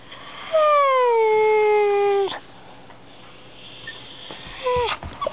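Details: Dogs excited at dinner time, wound up before feeding: one long high, smooth whining howl that slides slowly downward for nearly two seconds, then quiet room noise and a brief rising-falling whimper near the end.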